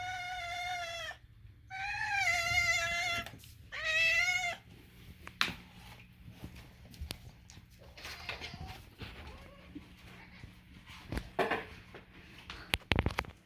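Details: Moo, a domestic cat, gives three drawn-out harmonic meows in the first four seconds, strained and goat-like, each rising then falling; afterwards only faint rustling and clicks with a woman's voice nearby.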